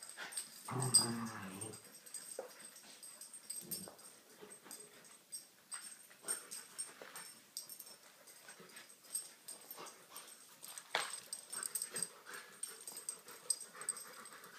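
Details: Rottweiler growling while playing tug of war: one rough, low rumbling growl lasting about a second near the start, followed by scuffling, breathy huffs and rustling movement.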